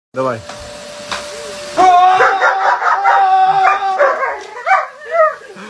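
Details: German Shepherd dog confronting a running vacuum cleaner indoors: loud, drawn-out whining yelps and howl-like barks that rise and fall, over the vacuum's steady drone, with a man speaking Russian at the start.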